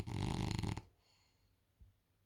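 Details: French Bulldog Isla sleeping on the couch: one short, harsh, low rumbling snore lasting under a second, then near silence with a faint soft breath.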